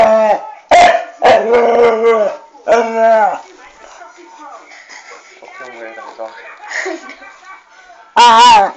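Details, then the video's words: Female Staffordshire Bull Terrier grumbling at home for attention her owner withholds: several short moaning, whine-like vocalisations with rich harmonics, then quieter muttering sounds and a final brief loud whine. "staffy being mardy cause hubby won't fuss her"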